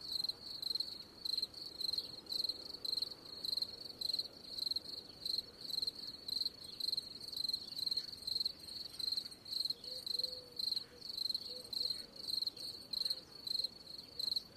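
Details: Cricket chirping steadily, a shrill pulsed trill near the top of the range repeated in short bursts about every half second, with faint low background hiss.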